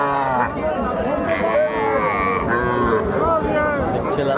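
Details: Many cattle gathered at a busy livestock market in Bangladesh, with calves among them being offered for sale; several overlapping low, droning moos with bending pitch fill the clip, over steady crowd chatter and bargaining voices.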